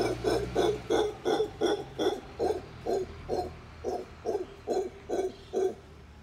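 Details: Howler monkeys in Tamarindo, howling and eating, give a rapid series of deep, hoarse grunting pulses, about two or three each second.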